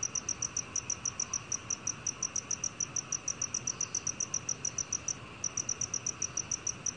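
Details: Black cricket recorded in 2020 by the National Institute of Biological Resources: continuous high, crisp chirps in quick regular succession, roughly four a second, with one short break near the end, set against a faint even hiss.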